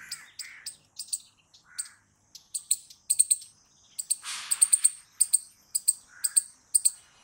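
A squirrel calls with bright, piercing chirps, often doubled or tripled, coming in uneven bursts. Short husky, lower-pitched rasps and one brief noisy rush break in between the runs of chips.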